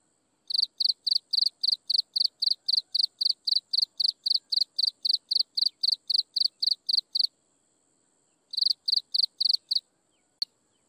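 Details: Insects chirp at sunset in a long regular series of bright high pulses, roughly four per second, stopping after seven seconds; a short pause, a brief second burst, then a single sharp click.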